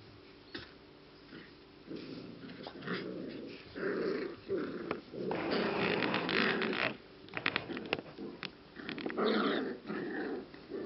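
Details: English Cocker Spaniel puppies, 6 to 7 weeks old, whine, yip and growl playfully in bursts indoors.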